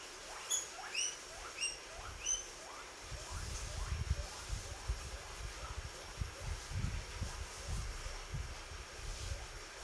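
A guinea pig gives a run of high, rising squeaks, a cheerful sound of a happy animal.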